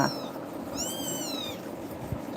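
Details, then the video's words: Frightened kitten, startled by another cat called tiger, crying while clinging to a person; one long high meow that rises then falls, preceded by a brief faint mew, over quiet indoor background. "குட்டி பூனை🐈🐾❤️பயந்து கத்துது"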